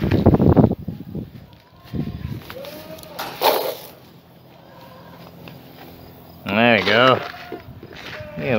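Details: Young Boer goat buck named Coffee, going through puberty or the rut, voice changing and calling constantly; one loud, wavering, quavering bleat near the end, after a person talks about feeding time, with footsteps and outdoor rural background.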